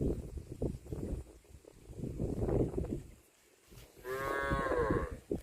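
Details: Cow mooing near the end: a single long, loud, strongly harmonic moo, steady then slightly falling, lasting about a second, preceded by muffled low rumbling and knocking background noise.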